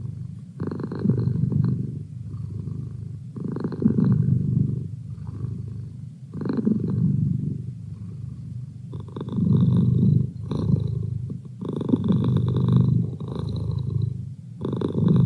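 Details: Pet cat Merlin, presented as a feline study buddy, purrs in a slow breathing rhythm, each low buzzing surge lasting one to two seconds, separated by softer gaps, steady throughout.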